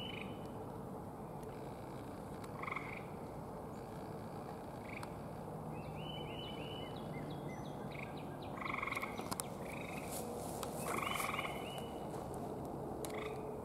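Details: Several gray tree frogs calling from up in forest trees, about eight counted; short trilled bursts repeat irregularly over a constant loud background hiss, with speech nearby.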